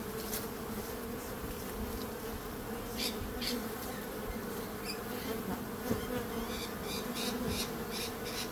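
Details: Bees buzzing steadily in a low, continuous drone with humming bands, broken by brief clicks and ticks scattered through the second half.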